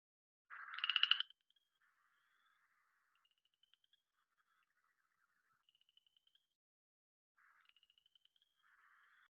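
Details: A Cajun chorus frog in the Southeast Texas (Houston) area gives a quiet, ascending pattern of clicks in rising trills, like fingers run along a comb.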